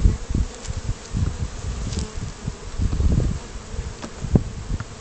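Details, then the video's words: Small batch of Gonzales bees on their first flight outside the hive, a low droning buzz below with uneven swells and bumps, brief faint higher ticks scattered through. "Gonzales bees in flight"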